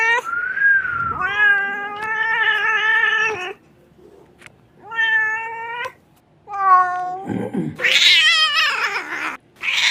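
A kitten cries with long, harmonic-rich meows, some wavering and rising, repeated after short pauses.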